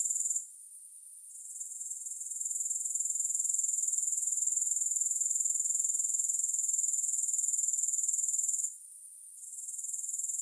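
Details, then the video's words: High, hissing grasshopper chorus pulsing around four times a second. It drops away at the start, rebuilds gradually, holds steady, then dips again before returning near the end. "Grass Hopper Sounds"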